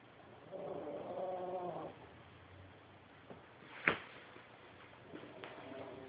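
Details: Dog named Shadow asleep and snoring like a pig: a single rasping snore near the start, then quieter breathing, a sharp click and faint rustling.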